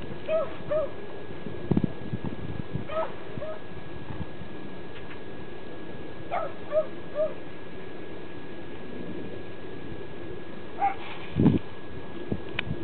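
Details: A Pembroke Welsh Corgi with a sweet potato gives short, nasal whimpers in pairs, with soft thumps between.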